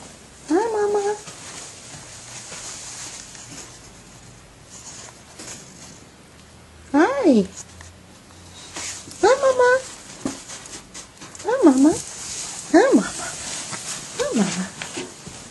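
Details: Meows from one of three semi-social female cats rescued from a shelter, a shy mother and two playful teenagers, seeking a barn home: about six short rising-falling meows spread over fifteen seconds, with a person's soft voice and indoor rustling between them.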